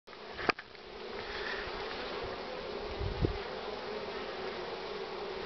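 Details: Honey bees crowding at the hive entrance, loaded with pollen, on 24 March 2019 at 9:45 under strong sun with a cool background; a steady dense hum fills the clip, with a sharp click near the start and a soft thump later.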